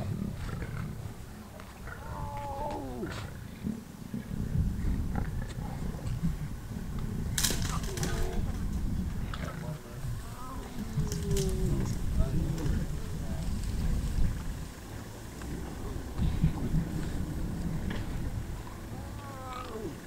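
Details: Lions killing a wildebeest in and around Kruger National Park, South Africa, filmed on a game drive: deep, rumbling growls run almost continuously, with a few faint wavering higher calls and brief sharp knocks mixed in.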